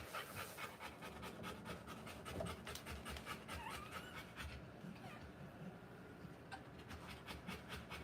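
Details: Rottweiler panting while giving birth to puppies: rapid, breathy, steady huffs running through the whole stretch, with a faint thin squeak around the middle.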